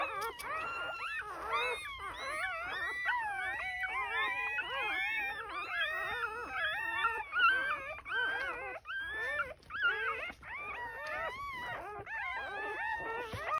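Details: Purebred Border Collie puppies from June 2023, Mid North of South Australia, in a dense overlapping chorus of wavering high whines and squeaky cries, nearly unbroken throughout; a woman praises the mother beforehand.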